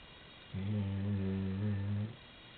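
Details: A single low, steady snore of about one and a half seconds, a rich humming drone with a slight wobble, from Maddy, a 90-pound chocolate Labrador sleeping at the end of the bed. Quiet room hush before and after.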